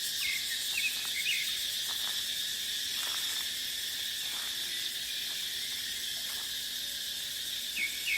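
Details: Cicadas keep up a piercing, steady hiss in deciduous dipterocarp forest during the dry season; faint short chirps from birds appear at the edges, and there is little wind.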